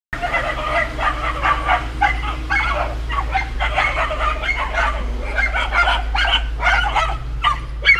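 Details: Several miniature Labrador guard dogs barking in a rapid, overlapping chorus of sharp barks, with a steady low hum underneath throughout.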